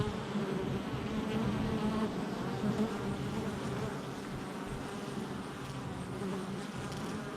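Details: Colony of honey bees around their hive entrance, July 22nd, 2024, producing an unbroken, rough humming drone that holds fairly level throughout, slightly louder at the start.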